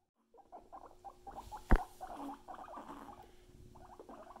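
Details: After a moment of quiet, a guinea pig starts a stream of short, pulsed chuttering notes that run on steadily, broken by one sharp knock partway through.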